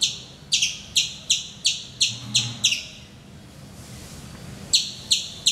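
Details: Vociferous squirrel calling on a mango tree outside a bedroom window in Calicut, Kerala, India, in the morning; sharp, high chirps repeated about three per second, a pause of over a second, then three more chirps.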